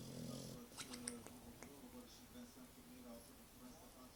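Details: An English Bulldog snores with a low, rasping rumble, followed by a steady droning hum, in Bijeljina in May 2012.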